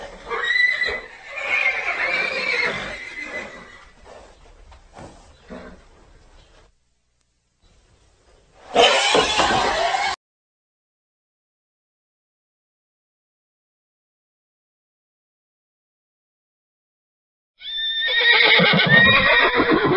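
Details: Neighing horse: a long, trembling whinny that tails off into low snorts, a sudden harsh burst, a lengthy silence, then another loud, rough whinny at the close.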